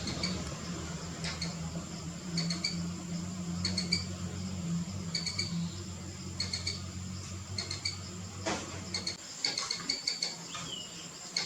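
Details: Young squirrel chattering and chirping: short, high, clicking chirps in tight bursts about once a second, over a steady low hum that cuts out near the end, followed by a few scattered sharper notes.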